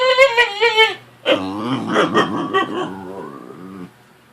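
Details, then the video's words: Fussy puppy Penelope, just roused from a nap: a few quick high yips, then a lower, grumbling, wavering whimper that trails off into quiet. "Fussy puppy gets woke up"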